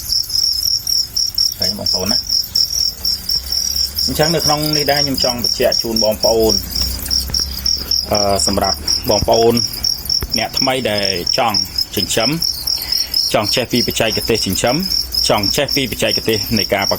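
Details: Captive-bred crickets at a farm in Prey Touch commune, Battambang, Cambodia: a shrill, evenly pulsing chirp holds steady from start to end, with a man speaking in bursts over it.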